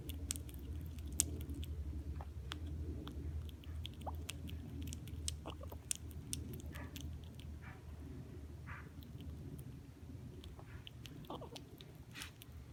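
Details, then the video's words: Kevin, a squirrel rescued in spring 2016, eating peanuts indoors: soft irregular crunching and sharp clicking bites scattered throughout over a steady low hum. "Kevin eats peanuts making cute sounds"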